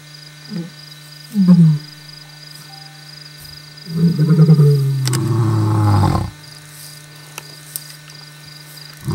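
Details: Male lions of a coalition of five roaring at the full moon in Kruger Park, South Africa; low grunting moans build into a long deep roar, with a steady low hum throughout.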